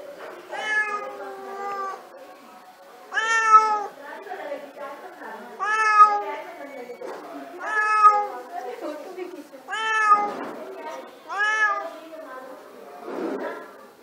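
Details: Domestic cat calling for food, indoors: a series of loud, harmonic meows, each about half a second to a second long, repeated roughly every two seconds, some rising then falling, with a softer rough call at the end.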